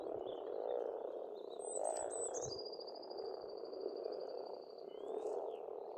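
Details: Frogs calling in spring at a pond in Estonia: a dense, continuous croaking chorus fills the background, while birds sing high above, including a long thin whistled note trailing off near the end.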